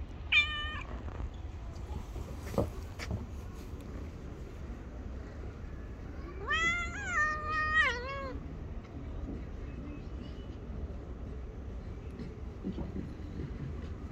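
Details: Stray street cat calling with a short meow at the start, then a run of four or five quick, even-pitched harmonic meows in a row, over low urban background rumble.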